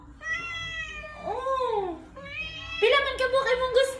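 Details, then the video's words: Indoor Khao Manee cat meowing for cat food: a steady tonal meow rising into an arched, bending call, followed by a louder, rougher burst of meowing, with a person's voice nearby. "he talks alot when it comes to catfood."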